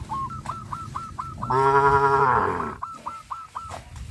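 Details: Cows herded along a countryside road by a farmer: one long, deep, harmonic moo of about a second stands out in the middle, while a quick series of short, hooked chirps from other animals repeats before and after it.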